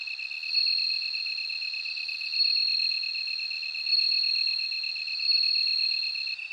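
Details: Bell cricket singing: a high, steady ringing tone that swells in loudness about every one and a half seconds. A second insect keeps up a lower, rapidly pulsed trill throughout.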